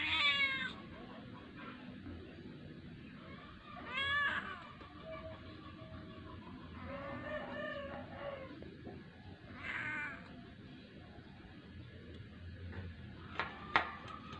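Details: Kitten pleading to be fed. Repeated short, bright meows come at irregular gaps of three to five seconds over a constant low household hum, ending with a few sharp clicks.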